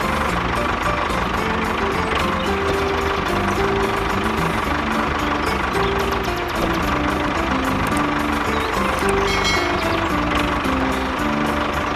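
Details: A truck engine rumbles steadily under background music, with no animal calls audible.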